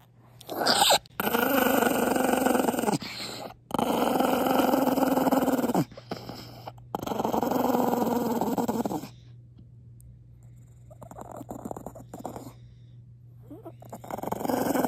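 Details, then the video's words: Maltese named Pongpong growling angrily indoors after being kissed; long rough rumbling growls of two to three seconds each, broken by short pauses, fading to quieter grumbles near the end. "뽀뽀해서 개빡친 강아지"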